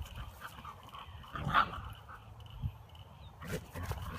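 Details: Husky puppy roughhousing with its brother and mother; one sharp brief yelp rises out of low rustling and shuffling, followed by a few quieter grunting sounds.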